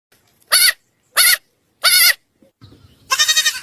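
A goat gives a series of loud, nasal bleats, each short and wavering.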